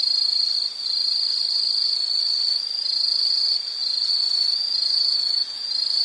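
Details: Insect from a nature sound series: an intense, high, continuous trill with three short drops in loudness, otherwise steady and unbroken.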